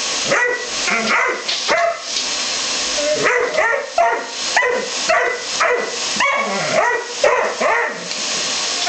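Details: Dobermann giving a run of harsh barks mixed with higher, rising yelps, coming every half second or so in uneven clusters, against steady background hiss.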